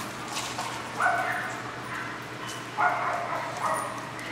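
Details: Adoptable male Australian Cattle Dog at a shelter giving two loud barks about two seconds apart, each followed by a fainter bark, over a low steady hum.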